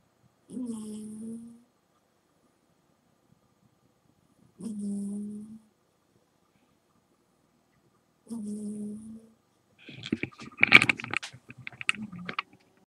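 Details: Jazzy, an 18½-year-old domestic cat, snores loudly indoors. Three throaty, buzzing, low-pitched snores come about every four seconds, each lasting roughly a second, and a harsh, crackling rustle follows near the end.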